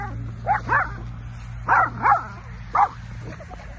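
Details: A Yorkshire Terrier and a Shorkie puppy, running and playing, give sharp, high barks in quick pairs at two chows in a neighbour's yard, with a short pause between each burst.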